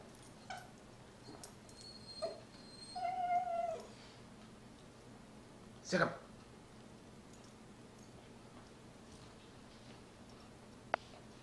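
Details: Sarah, a Miniature Poodle, cries indoors while killing her toy Mr. Fox: a thin, drawn-out nasal whine near 3 seconds with a shorter whimper before it, amid soft scuffling and a person's voice urging her on.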